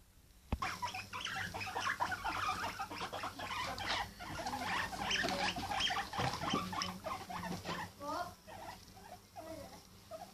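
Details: Pet guinea pig making noises indoors: a busy run of short squeaky chirps and chuttering notes, rapid and uneven, with soft rustling and patter throughout.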